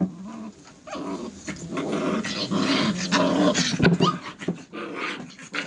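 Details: Five-week-old Airedale Terrier puppies from one litter playing with a person: low, rough growls and snarls in uneven bursts, with short yips and scuffling mixed in.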